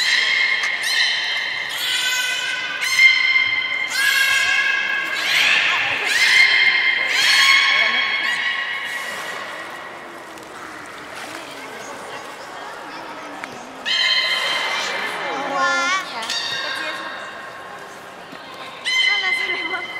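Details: Captive beluga at Port of Nagoya Public Aquarium on 27 January 2019, playing after a feeding session: repeated bursts of rich, buzzy harmonic whistles, some pulsed or wavering, with quieter gaps between them, echoing inside a large hall.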